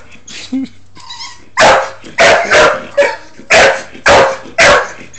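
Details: Bull Terrier at play with a hamster: a couple of soft high whines first, then six loud, gruff barks at a steady pace of nearly two per second.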